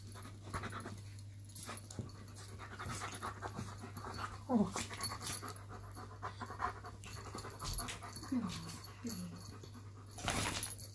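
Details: Shadow the German Shepherd and Poppy the Chihuahua squabbling over their owner, irritated grumbling as one dog gets too close; two short rising-falling whines near the middle and end, soft panting and a steady low hum throughout.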